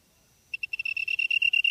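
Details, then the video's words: Insect in grass, Namyangju, Gyeonggi-do, Korea, September 2016 around 8 PM: after brief silence, high pulsed chirps start separately and quickly speed into a continuous ringing trill. "풀벌레 소리/sound of a bug / живущие в траве /虫の音"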